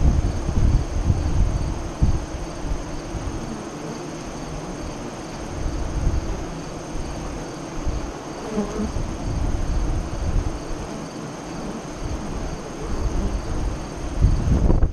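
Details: Honey bees at their hive entrance east of Lyons, Nebraska, during the 2017 eclipse. A deep, continuous low buzz rises and falls in loudness, with strong bursts at the start and end from bees flying close.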